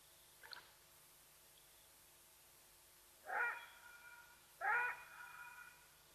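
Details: Side-striped jackal at Nkorho, Sabi Sands Reserve near Kruger, South Africa, betraying the presence of Watika the leopardess; a faint click, then two strong harmonic yelps about a second apart, the second trailing off, over low hum.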